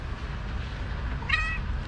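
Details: Talkative fluffy female tabby cat in Istanbul, meowing loudly as if trying to say something: after a stretch of low rumbling background noise, one short, bright, slightly falling meow near the end.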